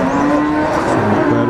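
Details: Black Pegon cattle at the crowded Wagenan livestock market in Margorejo, Pati, Central Java, shortly before Eid al-Adha, morning around 7:30; a steady, low, drawn-out moo held throughout, half-buried in market babble and vehicle noise.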